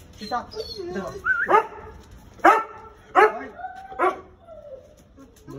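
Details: American Akita, called a dangerous dog, in Gurgaon: four loud, sharp, harsh barks spaced about a second apart, after a stretch of softer whines and voice-like sounds, with a man talking nearby.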